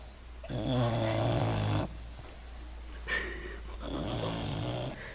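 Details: Deeply asleep English Bulldog snoring: a long low buzzing inhale of over a second, then softer rasping breaths and a second weaker snore, in a quiet room.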